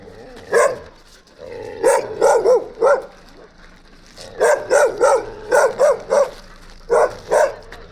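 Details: Gampr, a stray dog found on the street in Abovyan, Armenia, whose owner is being sought, gives about a dozen short, sharp barks in two quick bursts separated by a brief pause, over a quiet background.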